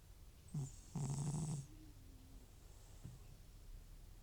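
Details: An old pet cat named Butcher, FIV-positive and prone to nasal congestion once medication stops, sleeps and snores. A brief rasp leads into a longer rough, vibrating snore, followed by quiet breathing and one faint snort.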